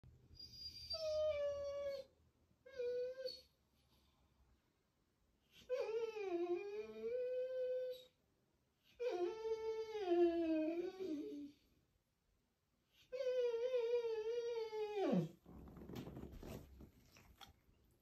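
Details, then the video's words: Golden Retriever puppy whining for attention indoors: drawn-out, high, wavering whimpers rising and falling, in about five bouts separated by short pauses, the last ending in a sharp drop and a brief rustle. "Golden Puppy Nova for Whining Attention"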